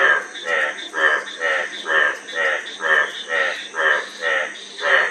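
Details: A frog gives steady, raspy, pulsed croaks, about ten in five seconds at an even rhythm, each one a short rattling burst, with a faint high hum in the background.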